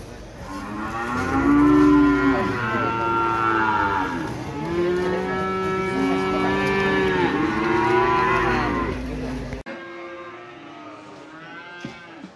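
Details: Market cattle at Pasar Sapi Ambarketawang, Gamping, Jogja, lowing loudly: a chorus of sustained, wavering moos layered over each other for about ten seconds, ending abruptly, followed by a quieter tail of a single low moo.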